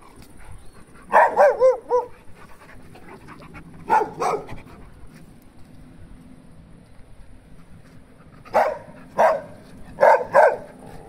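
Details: Dogs frolicking at play: a quick run of yelping barks with wavering, bent pitch opens, one sharp bark follows after a pause, then a late cluster of four short, punchy barks over a low, steady background hum.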